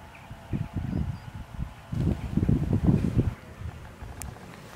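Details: Bellowing red deer filmed in October 2014 ahead of the rut, giving deep, rough, pulsed groans that swell into a loud throaty burst lasting over a second, with wind noise around it.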